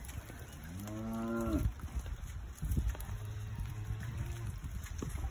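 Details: Cows in a field in the English countryside, visited by a Labrador dog: one drawn-out low moo that rises and then holds steady for under a second. A man speaks quietly around it, with faint rustling.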